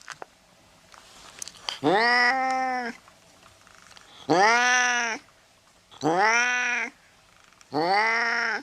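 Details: Domestic cat meowing, played to scare off mice: four clear, rich meows, each rising then falling and close to a second long, spaced about two seconds apart in a quiet room.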